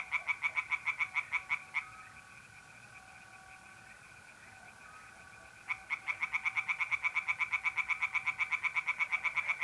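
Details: Tree frogs singing at night in mid-April in a pond in north-east Italy: bursts of fast, evenly pulsed croaks, several per second, broken by a pause where a steady mole cricket trill carries on alone.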